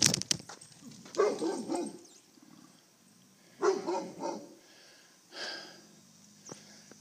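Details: A huge dog in the street chases a cyclist, recorded on a phone rigged to the bike. Harsh barks come in three short bursts a couple of seconds apart, with quiet road noise between them.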